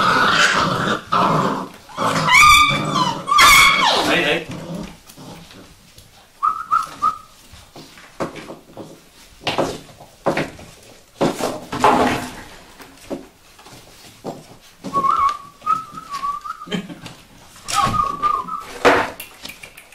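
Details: Young Vizsla puppies give shrill rising-and-falling squeals amid human talk, then a series of short, steady, whistle-like whimpers repeated over several seconds, with rustling in between.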